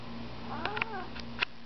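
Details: Male cat on a balcony, watching a pigeon; soft wavering chirping meows and short clicks under a steady low hum, with a person urging him on.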